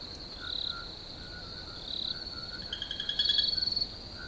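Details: Crickets in a nature relaxation recording: a steady high-pitched ringing drone with short, fast-pulsed chirping trills rising over it near the end, and softer, lower, repeated notes underneath.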